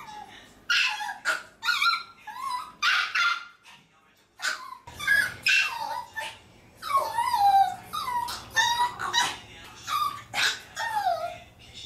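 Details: Maltese dogs at home, the household including a male and two females, cry in high whining whimpers and yips, rising and falling in repeated bursts, after being called in for what they thought was a walk but was a haircut.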